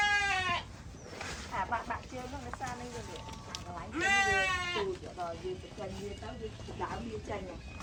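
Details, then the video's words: A group of sheep bleating, with strong quavering bleats at the start and middle and quieter overlapping calls from other animals filling the gaps. "sheep sound"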